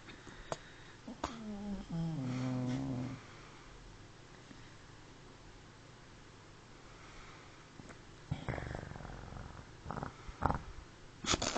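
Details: Indoor dog snore: a single rasping, buzzy breath lasting about two seconds whose pitch dips and wavers. Quiet room noise follows, then soft rustling and clicks.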